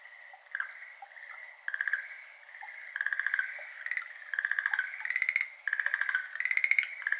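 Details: Schlegel's green tree frog, a species endemic to Japan, calling on a May evening, 17 May 2022, beside a flooded iris garden. Short pulsed trills around a steady tone overlap irregularly, several bursts each second, with faint dripping water.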